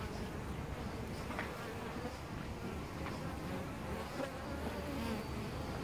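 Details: Honey bees (Apis mellifera) at their nest inside a tree-trunk cavity, Costanera Sur Ecological Reserve, filmed at close range: continuous low buzzing mass of many wings, with brief louder individual passes near the second and third seconds.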